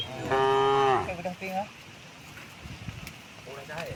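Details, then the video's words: Tame cow heading to a wide field on a calm morning with its herd: one loud, even moo of under a second that drops at the end, followed by softer short grunts and quiet background. "the sound of cows"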